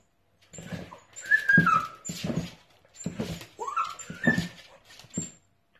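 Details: Dachshund puppies at play indoors: high, wavering whines sliding down in pitch, mixed with short yips and soft grunting scuffles, in bursts over several seconds.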